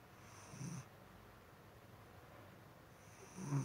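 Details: Sleeping domestic cat snoring indoors: two soft, low, rasping breaths about three seconds apart against a steady background hiss.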